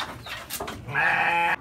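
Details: A young goat gives a single strained, nasal bleat after some rustling, sounding like a kid that has just found food, while taken along to cut fodder.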